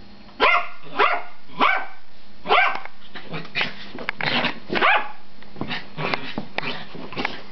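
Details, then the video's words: Pet dogs play fighting at home, giving a series of short harsh barks and growly yips roughly every half second to one second, some louder bursts, with a steady low hum underneath. "dog fight"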